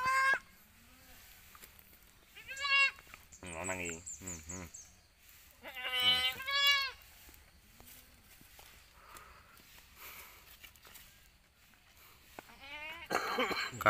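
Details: Freshly born kids on a village goat farm in Pacitan regency bleat repeatedly in shaky, vibrato-laden cries, some long and quivering, separated by quiet pauses and occasional human speech.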